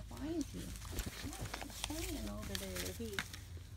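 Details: Newborn German Shepherd puppies, a litter of seven, four males and three females, in their first hours after birth in May 2017, giving overlapping high, wavering whines and short squeaks that rise and fall, over a steady low rumble.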